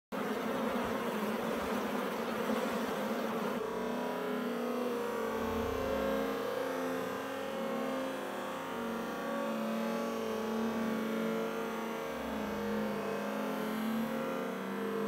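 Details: Honey bees at a hive entrance in early May 2016, foragers coming and going with packed pollen baskets, making a steady, droning hum throughout, rougher and fuller in the first few seconds.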